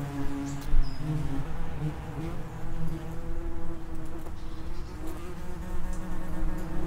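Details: Continuous low buzzing of common wasps (Vespula vulgaris) at an underground nest entry, several layered humming tones holding steady and shifting slightly in pitch as wasps hover and pass.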